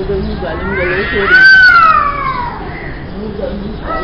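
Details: Two cats fighting at noon: a long, drawn-out yowl rises and then slowly falls over about two seconds, with lower growling murmurs before and after it and a short rising wail at the end.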